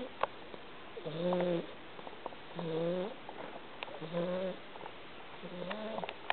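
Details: Domestic cat snoring while asleep; four drawn-out, tonal, slightly rising breaths with a low hum and overtones, about every one and a half seconds, with small clicks between.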